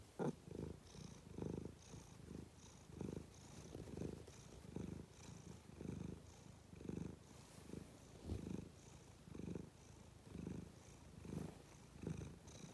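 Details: Domestic cat purring steadily, a low, soft rumble that swells and fades in a regular rhythm roughly once a second, with quiet indoor background hiss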